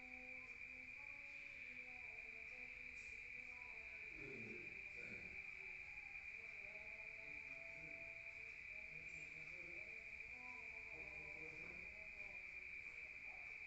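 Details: Crickets at night in a rural area, heard from inside a room: a steady, unbroken high-pitched trilling drone runs throughout, with faint low wavering tones in the background.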